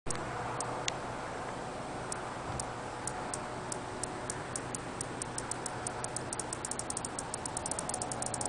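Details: An Olympus cicada (Diceroprocta olympusa) gives its starting call: sharp, dry ticks that come faster and faster.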